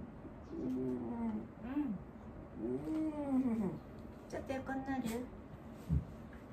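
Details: Aged dog Wanta in elderly-dog care, restless and vocal while awake, gives a series of drawn-out arching moans that rise and fall, about four in a row with short gaps, indoors with faint background noise.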